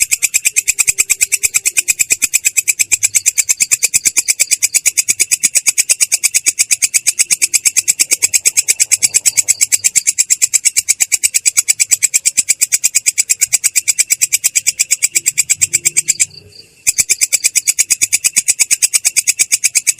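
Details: Katydid (belalang kecek) in a rolling 'ngerol' song described as clear yet rough: dense, steady buzzy pulses high-pitched and unbroken for many seconds, with one brief pause near the end.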